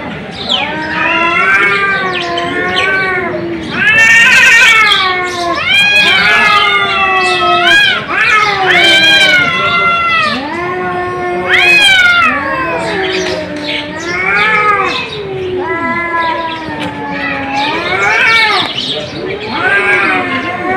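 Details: Domestic cat yowling repeatedly, drawn-out moaning cries that bend upward and down, several overlapping harsh wails, steady loud calling throughout with brief gaps between cries.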